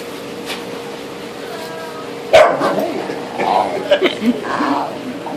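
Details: Nemo, a nine-month-old corgi, confronts a lobster at Gurnet Trading Co., letting out a sharp bark followed by a run of quick higher yips and yelps, while a person talks nearby over a steady hum.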